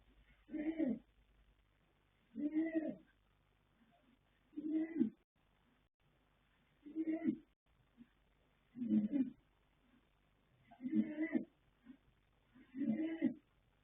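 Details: Snoring of the sleeping colt Yanta, foaled 21 January 2026, sired by Fast Force out of Pink Blossom: seven evenly spaced, guttural snorts, one roughly every two seconds, each a brief grainy rumble against near silence.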